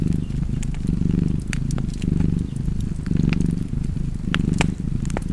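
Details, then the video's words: Purring cat with fireplace ambience; soft, low rumble cycling with breathing about once per second, light crackling and popping of flames throughout. "Purring Cat and Fireplace 4K / Wallpaper Tv Art Çerçeve / Cozy Purring Cat ASMR / Kedi Mırlaması"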